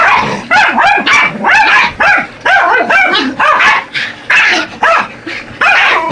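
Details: Pair of Yorkshire Terriers, Buddy and Elmo, attacking a radio-controlled truck; rapid, high, piercing barks come roughly once a second in uneven bursts, harsh and excited, with little else audible.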